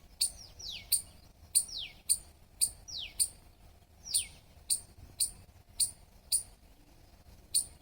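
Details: Squirrel chirping: sharp, high clicks, each followed by a fast downward-sliding squeak, repeated about every half second in a steady run, with faint low background hum.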